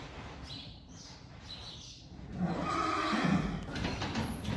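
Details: Friesian horse in a herd outdoors, foal Lieke having lost her mother Reintje; a whinny rises in the second half over steady birdsong and low ground noise.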